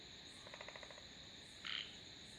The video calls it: Sounds of Frogs / தவளைகளின் இசைமழை